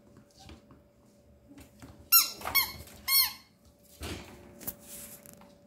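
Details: Thirteen-day-old male Papillon puppy giving a short cluster of thin, high-pitched squeaks, three quick whiny cries in about a second, amid faint indoor background noise and a steady low hum.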